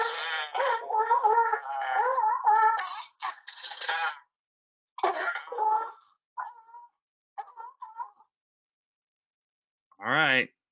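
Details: California sea lion. A crowd of California sea lions growls and barks in rough, wavering bursts, loud and dog-like. The calls come in overlapping runs, then shorter separate barks, with a final harsh blast at the end.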